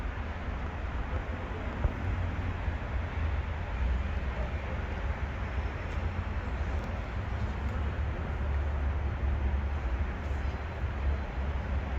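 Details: Continuous outdoor traffic rumble with dense broadband noise and a few faint clicks; no animal voices stand out.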